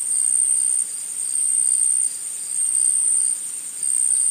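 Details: Shrill, high continuous trilling of insects in a forest, swelling and dipping in loudness roughly every second across a short stretch.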